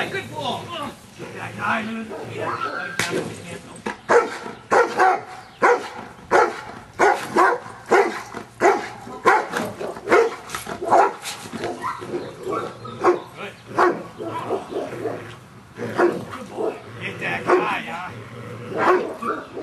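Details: Giant Schnauzer Luther in Schutzhund training on 4/25/09, getting used to stick hits; a long run of sharp, broadband barks in uneven bursts, often in quick pairs, with a handler talking and praising between them.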